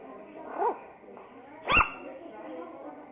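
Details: Angry Miniature Pinscher puppy, very active and agitated, gives a short whiny yelp, then after about a second a single sharp, loud bark, with a quiet murmur of background sound throughout.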